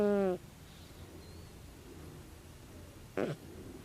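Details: A sleeping calico cat aged 16 snores: a short low, droning breath, then near-silence and a rough, brief snort a few seconds later.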